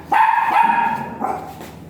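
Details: A virgin dog at Mapandan Vet Clinic, there for a mating service, gives a long ringing bark followed about a second later by a softer second bark, with quiet indoor background.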